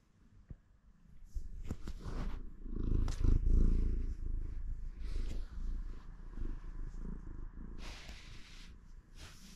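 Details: A house cat purrs at the start of the day, a low vibrating rumble swelling louder after the first seconds, with scattered rustling and brief handling sounds.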